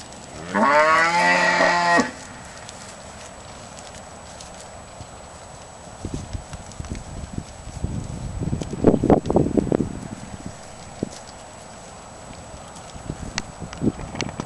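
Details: Cattle in a pasture: one loud, harmonic moo lasting about a second and a half at the start, followed by scattered thuds, rustling and low shuffling sounds of the herd moving.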